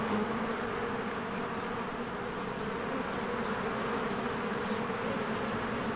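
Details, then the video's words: Crowds of honeybees working at their hive in spring, flying in and out; a rough, fluttering low drone, slightly pulsing and uneven in texture but continuous from start to finish. "1 Hour of a Beehive ASMR | A Spring Nature Ambience Sounds"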